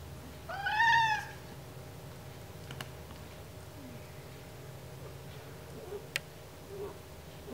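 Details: Oreo, a pet cat, whines in protest while having her ears cleaned, which she doesn't like: one short rising-then-falling harmonic whine near the start, followed by quiet room sounds and a few faint clicks.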